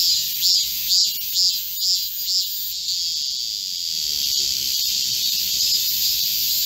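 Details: Korean cicadas in a midsummer green forest during a July 2024 heatwave. A loud caller gives about five rhythmic pulsing phrases roughly every half second over a continuous high buzzing chorus, then the steady drone carries on alone.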